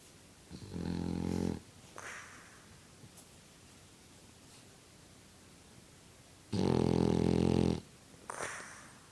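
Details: Indoor French Bulldog asleep and blowing bubbles, giving two loud rattling snores about six seconds apart, each a coarse buzzy drone lasting roughly a second, trailed by a brief airy whistle on the breath out.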